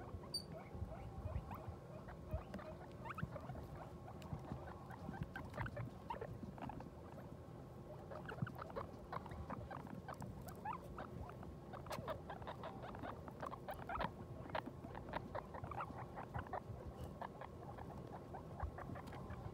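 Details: Soft chattering squeaks from a guinea pig and her newborn litter, born at New Year; brief high notes come in loose clusters, busiest in the second half, over constant rustling and low hum.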